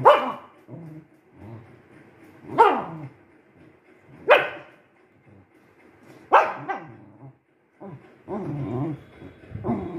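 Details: Spitz dog barking in sharp single barks repeated every one to two seconds, followed by lower growly whining sounds near the end.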